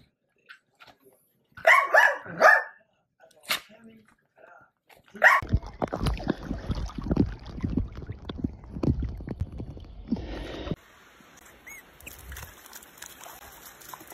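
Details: Dachshund pet dog barks three times in quick, sharp succession early on, then a long stretch of rustling, rumbling handling noise and a faint hiss takes over.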